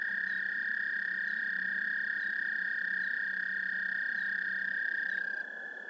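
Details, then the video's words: Two or more American toads trilling together, picked up by a parabolic microphone over a hissy, noisy background; a steady buzzing monotone trill continues throughout, with a fainter overlapping higher trill stopping near the end. "Songs of the American Toad"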